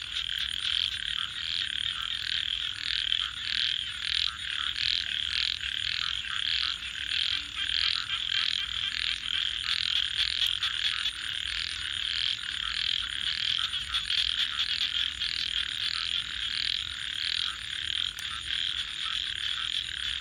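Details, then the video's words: Frogs at night beside a campfire keep up a high, grating chorus of evenly spaced pulsing bursts, about two per second, sustained throughout. Faint crackling sounds underneath. "frogs 🐸 Sounds"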